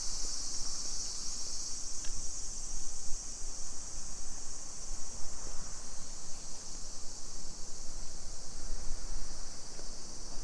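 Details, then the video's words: A steady summer cicada drone in suburban Nisshin city, about 20 km from downtown Nagoya, Japan, 2 PM on 28 July 2021: a dense, constant high-pitched hiss with a few faint ticks and low background rumble. "Summer Cicadas Sounds"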